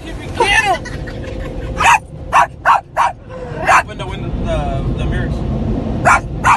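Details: Pet Yorkshire Terrier barking in a car wash at dusk, reacting to the wash noise on its first visit; sharp barks in bursts, two or three at a time, over steady machinery rumble, with a person speaking at the start.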